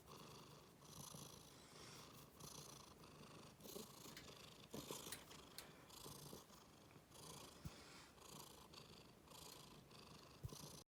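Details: Domestic cat purring with a steady low rumble, swelling in regular pulses about once a second, while angry and disgusted at having its rear touched.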